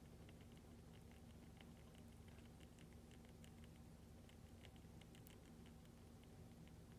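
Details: A hamster eagerly eats lactic-acid-bacteria paste, licking and chewing with soft, rapid clicking and smacking sounds over a low hum.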